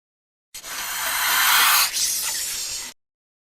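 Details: Cobra hissing: a loud, breathy rush of noise lasting about two and a half seconds. It swells toward the middle, breaks off briefly, then carries on at a steady level until it ends.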